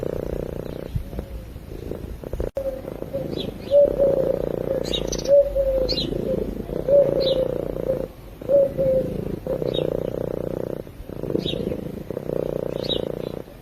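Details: Close-miked sleeping cat giving a low, even purr in breath-length bursts with short silent gaps, while outdoor birds chirp and whistle faintly now and then.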